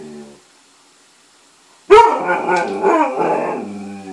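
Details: Alaskan malamute picking on another dog: after a near-silent start, a sudden loud, harmonic, wavering howl-like vocalization with a moaning, talking quality that carries on to the end.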